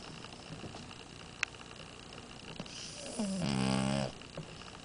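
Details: French Bulldog Amora snoring indoors: after a quiet, faintly hissing background, a single raspy harmonic snore rises and holds for about a second near the end.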